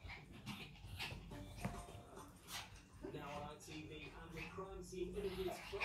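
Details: Energetic Chihuahuas wrestling in a playful fight on a new rug, giving strained growls and brief whiny yelps with rough scuffling, while a person talks and soft music plays behind.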